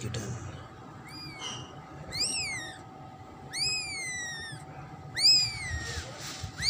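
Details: Newborn kitten, the second new kitten of a domestic cat, giving high, thin arched meows, each rising then falling, about five cries spaced roughly one second apart, with a faint steady hum behind.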